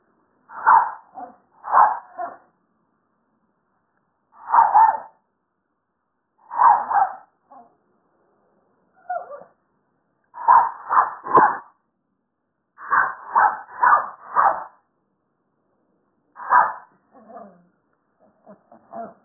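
Shrill, clipped barks from a Toy Poodle come in bursts of two to four, separated by short pauses. It is barking to be let into the house, with a few softer, whining notes near the end.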